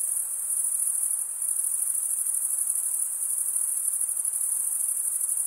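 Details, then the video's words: Male crickets stridulating, rubbing one wing's edge across the toothed vein of the other: a steady, high, shimmering trill held without pause, dense and continuous, with a faint low hiss beneath. "Most relaxing cricket sound"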